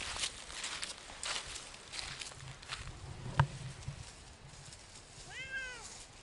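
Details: Siamese cat, one of two cats named Otani and Yozora, exploring a wild forest off-leash on a three-hour hike; rustling footsteps on the forest floor, then a single short arched meow with a rising-falling pitch near the end.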